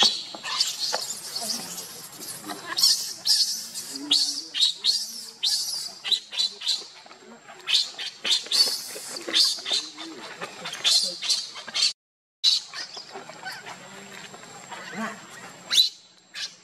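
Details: Baby monkey Lucie crying after being pushed and kicked by her mother Luna; harsh, high-pitched screeching bursts come in rapid, uneven series, broken by a brief gap near the twelfth second.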